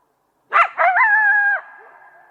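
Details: Coyote barking twice sharply, then sliding into a wavering howl held about a second before it breaks off, followed by a faint trailing tone.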